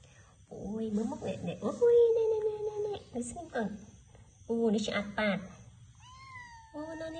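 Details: Cat meowing indoors, drawn-out wavering cries broken by short calls, heard over people talking in Khmer close by.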